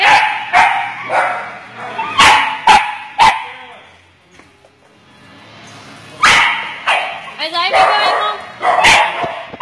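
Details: Dachshund at a doggy daycare, going wild while chasing a big ball across a slippery floor. Scattered loud yappy barks stand out, broken by a quieter gap midway. A person speaks, and music and applause sit underneath.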